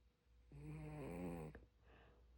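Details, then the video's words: Seungdal, a sleeping dog, gives a single drawn-out snore lasting about a second, a buzzy, humming rasp with a steady low pitch, in an otherwise quiet room. "코고는 승달이 드르릉드르릉~~"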